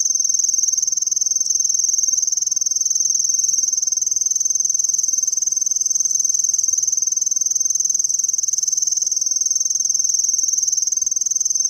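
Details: Continuous high-pitched trilling song of a Japanese tree cricket, very regular pulses at about 176 per minute, forming an unbroken shimmering tone for the whole stretch, with no other sounds.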